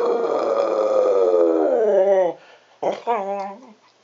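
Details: Cocker spaniel doing a wolf impersonation: one sustained harmonic howl of about two seconds, steady then sliding downward, followed by two short yelping vocal notes.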